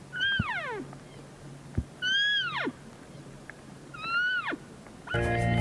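An elk gives three high, goat-like bleats that slide steeply downward, about two seconds apart.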